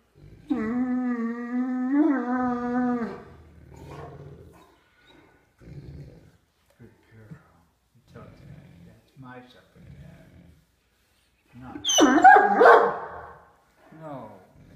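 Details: Female Great Dane indoors, having dinner in her favourite chair and growling playfully to warn her brother dog away from her food. A drawn-out, moaning growl lasts about three seconds, then softer low rumbles come between a woman's speech, with a loud burst near the end.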